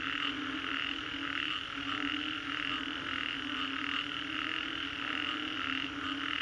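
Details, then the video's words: Frogs calling after a storm in the Green Corridor, Singapore, a dense chorus of pulsed croaks forming bright bands of sound, the pulses repeating steadily with a constant low hum underneath. "Frogs after Storm, Green Corridor, Singapore"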